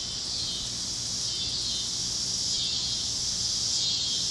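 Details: On the great plains of Kansas at sunset, cicadas chirp across the fields: a steady shrill buzzing wash, dipping briefly twice, then building slightly louder toward the end.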